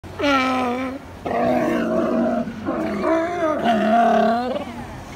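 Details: California sea lions napping at Second Beach, Powell River, British Columbia, give loud, hoarse, harmonic barks and roaring calls, several drawn-out in overlapping bursts.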